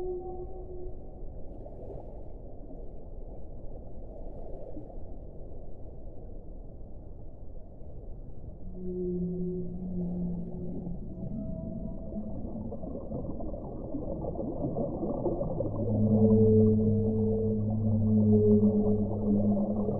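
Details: Whale song: drawn-out low moaning tones, first brief and scattered, then from midway a set of louder sustained harmonic notes held for a second or two each, all over a constant deep watery rumble.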